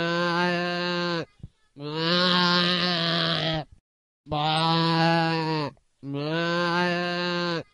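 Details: A bharal (blue sheep) in India gives four long, steady, nasal bleats, each lasting over a second with short pauses between.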